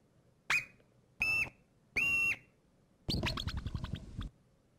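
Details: Olympic marmot alarm call repertoire played back in a lecture: ascending, descending and flat whistles, each short and separated by pauses, followed by a longer rapid broken trill.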